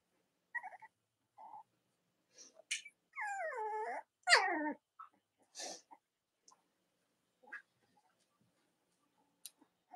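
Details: Cavalier King Charles Spaniel puppies in an indoor whelping area on a chilly late-October morning, giving scattered small squeaks, then two loud wavering squeals around the middle, followed by soft clicks and snuffles.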